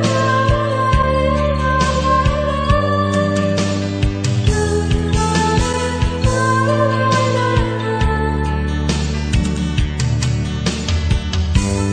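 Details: A loud song with singing and dense instrumental backing plays throughout, with no animal voice heard.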